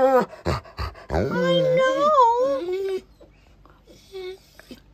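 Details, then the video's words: Pet dog called a talking wolf, visiting while its owner is away, vocalising indoors in a small room: a long, wavering, yodel-like howling whine that rises and bends over about two seconds after short yelps, followed by quiet murmurs. "Talking Wolf"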